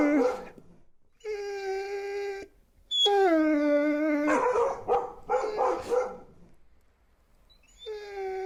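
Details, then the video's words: Siberian Husky giving drawn-out tonal howls, each held steady for about a second, broken by a burst of rough, chattering yelps before a final howl begins. "Cute husky, Husky sounds"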